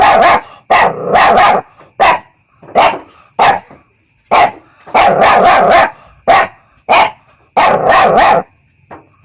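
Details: A young puppy barks in quick loud clusters of two to four sharp yaps, separated by brief silences, the pattern repeating across the recording with a slight background hum.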